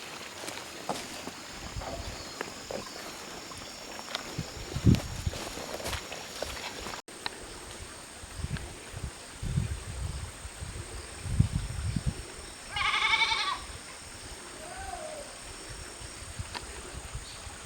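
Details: Goat kid named Leo at Yoshigake goat farm, separated from the others in the mountain-side pasture on 19 September 2023, gives one wavering, nasal bleat of about a second amid footsteps, rustling and a steady insect drone.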